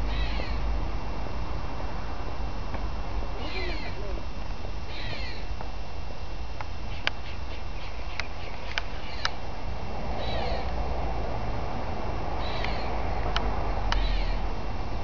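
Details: Squirrel screaming in brief harsh bursts that were at first taken for a crying baby, given in clusters with pauses between, with sharp clicks scattered through and constant low background rumble.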